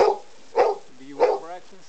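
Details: Domestic dog being vocal about getting its breakfast: three short yelping barks spaced about 0.6 seconds apart, with a person's voice speaking between them.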